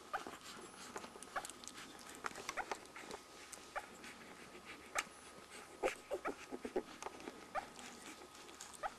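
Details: One-week-old Border Collie puppies nursing: soft wet suckling clicks run throughout, with a few short, faint whimpers and squeaks rising briefly above the steady quiet background.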